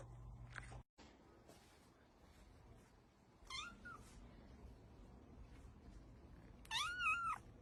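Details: Cats and kittens indoors: a short rising meow midway, then a loud, wavering, strained meow near the end, with an earlier brief thump and quiet room noise between calls.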